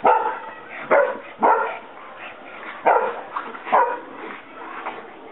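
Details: Pete Dog and Buddy rough-housing while rolling around in the grass, Buddy annoyed by the youngsters; about five sharp, short yipping barks burst out irregularly over five seconds, with a low grumbling murmur between them.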